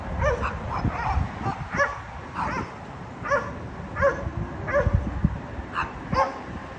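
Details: Dogs barking at a condominium, a noise that disturbs the neighbours three times every day: a steady run of sharp, evenly spaced barks, roughly two per second, over a low background rumble.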